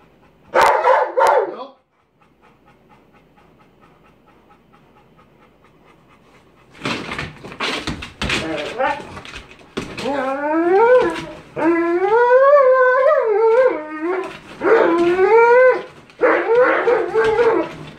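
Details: Cane Corso Cronus in bite sleeve training under K911 Level 3 control work. A brief loud burst opens, then quiet, then sharp bursts, a run of drawn-out wavering whining cries, and final noisy bursts.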